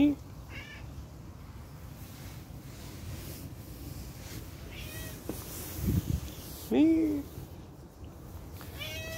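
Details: Tortoiseshell cat running about at play, giving a few brief meows, one clear downward-sliding cry near the end, with human speech and a low background hum.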